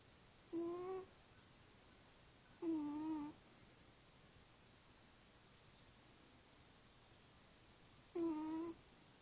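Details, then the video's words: Cookie, a female pet cat, snoring while asleep indoors: three short, nasal, tonal moans with a faint wavering edge, spaced a few seconds apart like slow breaths, against a quiet room hiss. "My Cat Cookie Snoring"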